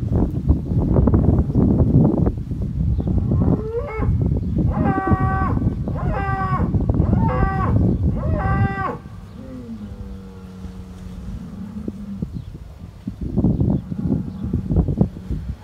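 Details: Fighting Hereford bulls on a New Zealand dairy farm: a run of four or five loud, harmonic bellows in quick succession, then a long, low, flat moan, with heavy thumping and scuffling noise before and after.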